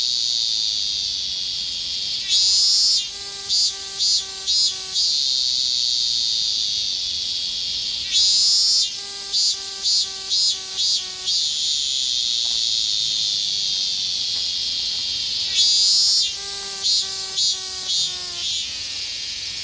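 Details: In summer in Japan, an evening cicada (higurashi) repeats its ringing, bell-like 'kana-kana-kana' song over a steady hiss of other cicadas.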